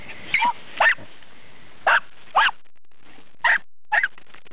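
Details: Dachshunds hunting a woodchuck give sharp, high barks, mostly in quick pairs, with short pauses between.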